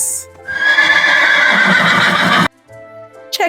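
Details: Horse neighing in a children's lesson on farm animals and their sounds: a loud, rough, broad whinny lasting about two seconds that shakes in quick pulses, then stops abruptly, with soft music underneath.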